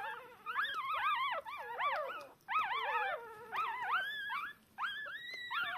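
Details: Three newborn Shiba Inu puppies, two females and a male, born 19 October 2022, calling for their mother hours after birth; loud, continuous high whining squeals, wavering up and down, with a brief pause near the end.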